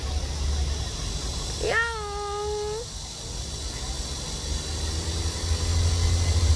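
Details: Bolt, a stray cat who lingered around one home for a year and five months, gives a single long meow that rises sharply then holds steady before fading, over low background rumble.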